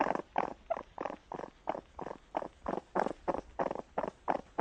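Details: Raccoon making a rapid run of rough, pulsed purring bursts, about three per second, each a broad churring throb with uneven spacing and no other sounds.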